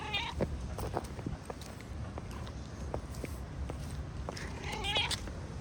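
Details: Feral street cats out in the rain. Two short harmonic meows, one at the start and one near the end, rise over a steady hiss of falling rain with scattered drips and taps.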